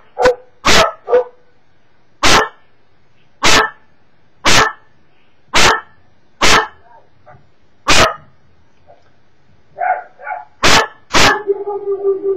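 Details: A Cocker Spaniel barking at YouTube videos gives sharp, loud barks, singly and in pairs, about a second apart.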